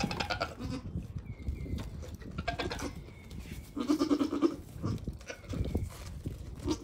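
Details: Young goat kids between one day and one week old, friendly and playful on a farm; a quavering, tremulous bleat sounds midway, with fainter bleats and shuffling noises around it.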